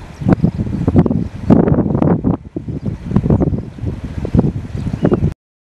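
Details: A common hippopotamus gives a deep, rumbling series of pulsed grunts with a faint wash of wind or water, in Kruger National Park, South Africa, in January 2017.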